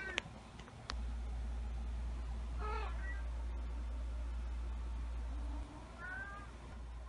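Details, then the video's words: Pet cat meowing at 2:30 a.m. for a snack at night: a short rising-falling meow near the middle, a fainter one toward the end, over a steady low hum and a couple of clicks. "When I try to sleep but my cat wants to have a snack"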